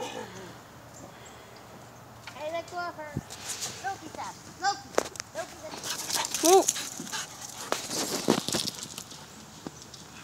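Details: Excited huskies sprinting around during a burst of wild play after a malamute livestream in October 2017. Scattered rising-and-falling yips and woos come between clattering footsteps, with human voices in the background.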